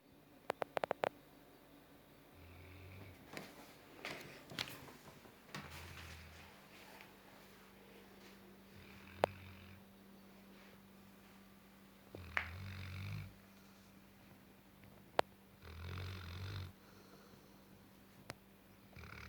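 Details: Gassan, a nine-month-old Tibetan Mastiff, snoring while asleep indoors: low rumbling snores every three to four seconds, broken by sharp clicks and rustling handling noises.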